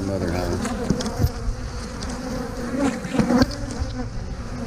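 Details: A busy honey bee colony drones around a frame being moved into another hive box; a steady mid-low hum with scattered taps and scrapes from handling.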